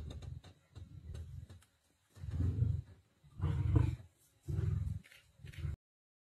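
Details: Male lions of the Black Dam coalition aggressive on the Nkuhuma lioness during a feast, 19 November 2023: a series of deep, throaty growls rising into louder rasping bursts, each roughly a second long, then silence.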